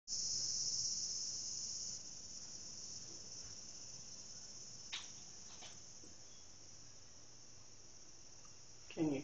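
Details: Japanese cicadas heard from indoors through a bathroom: a continuous high, hissing drone, loud for the first two seconds, then dropping to a softer steady buzz, with a few brief clicks and knocks.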